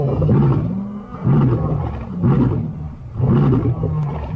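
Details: Five lions, the Birmingham boys, roaring together on August 13, 2015; deep, low, harmonic grunting roars pulse in loud bursts about once a second, overlapping voices forming a heavy rhythmic chorus.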